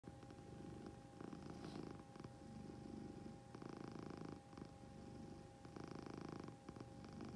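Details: Domestic cat purring: a continuous low rumble that swells and fades in long bursts, with short breaks of a fraction of a second between breaths.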